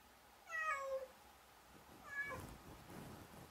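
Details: Cat giving a clear harmonic meow that falls in pitch, followed about 1.5 seconds later by a shorter, fainter second meow over low background rumble.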